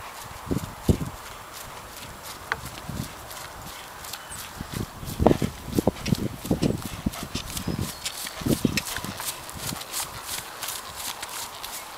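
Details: A horse ridden outdoors on its first ride back after a break for anemia, fussy and naughty; soft irregular thudding hoof strikes, clustered in the middle and later seconds, over steady background hiss and faint high ticks.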